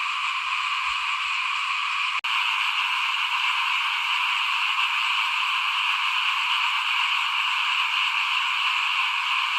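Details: Small frogs calling in front of a house at rice sowing time, as fields are prepared for planting in 2021: a dense, unbroken chorus of many overlapping buzzy, rattling croaks, steady throughout, with one sharp click just after two seconds.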